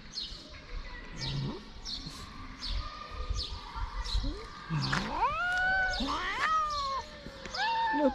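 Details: Stray cats on a Moroccan street, hungry and wanting food, give soft short mews early on, then several loud wailing meows that swoop up and slide down, overlapping near the end over faint street rumble.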